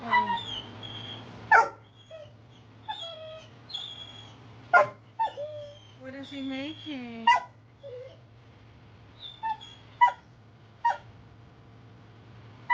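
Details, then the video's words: A pit bull mix, possibly a boxer mix and a rescue dog, upset at playtime with its owner, giving wavering whimpers, whines and short yips in scattered bursts, with people talking and a steady low hum. "Fenway gets upsets when Dad makes play time bombs"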